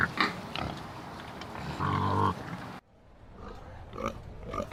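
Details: Pig making a steady, droning low grunt-like call of about half a second, among scattered snuffles. The sound cuts off abruptly partway through, and softer grunts follow.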